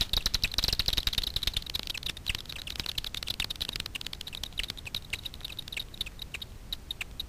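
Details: Daubenton's bats foraging for insects on the water surface over Miedwie lake in north-west Poland at night, picked up by a frequency division bat detector: rapid dry clicks and ticks pouring out in dense trains, with a faint hiss beneath.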